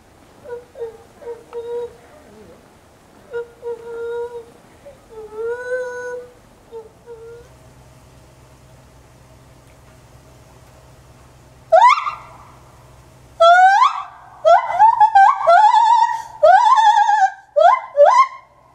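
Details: A 9-year-old male white-handed gibbon at a zoo, filmed 27 January 2014, gives pure, hooting notes that swoop upward, building into louder, rapid wailing hoots.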